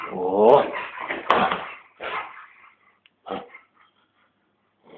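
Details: Playful eight-year-old female Siberian Husky with her owner, recorded on a Samsung GT-S5230 phone, gives a rising whiny vocal followed by rough growly barks, then short yips trailing into quiet.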